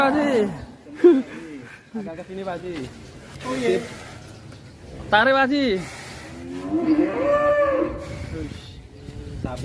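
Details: Cattle mooing in drawn-out, wavering calls, several moos in sequence with voices and music in the background.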